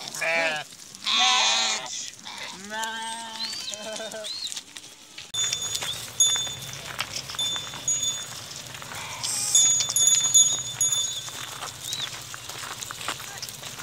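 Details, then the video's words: Sheep brought from Rukum East head back to their fold from forest grazing in Musikot, Rukum West, Nepal; a run of wavering bleats opens, then a steady engine-like rumble and faint high tones take over. "चरणपछि गाेठ फर्कदै भेडा"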